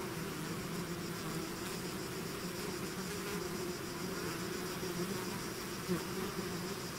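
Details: Swarm of bees out of the hive, an even, hissing mass of buzzing wings with faint low hum tones, steady and unbroken across the whole stretch.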